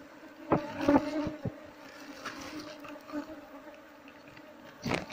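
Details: Wild Asian honey bees (Apis cerana) disturbed during honey harvesting from a wild hive, a mostly stinging, aggressive colony; a steady buzzing drone continues beneath repeated clattering handling noises early on and a bang at the end.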